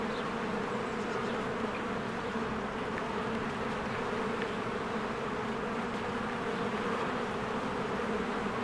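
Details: Steady droning of a busy beehive in spring as many bees fly in and out: a constant, level, low buzz with a grainy shimmer over it and occasional soft, distant bird notes.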